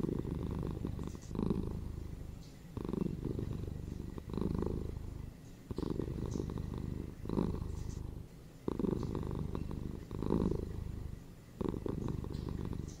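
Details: Pet cat purring: a deep buzzing rumble that rises and falls in a slow cycle, louder surges recurring roughly every three seconds with gentler passages between, heard close and clear.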